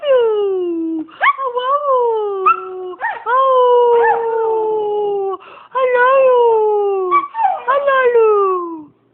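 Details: A Siberian husky with one blue and one brown eye howls in long, wavering tones, each drawn-out note sliding gradually downward.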